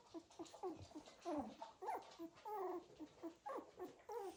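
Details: A litter of Cocker Spaniel puppies moving about and making noises: rapid overlapping squeaky whimpers and yelps, several per second, from more than one pup.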